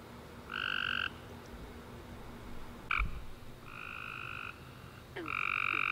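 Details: Tree frogs singing at night after a warm, rainy summer day, a few drawn-out trilled calls with short pauses, a soft thump and clicks, over a low hum.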